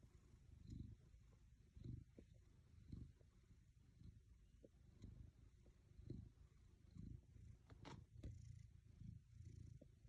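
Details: Black cat content on a lap, purring steadily: a low, continuous rumble pulsing in breathy swells roughly every second, soft and close, with a few faint ticks and rustles.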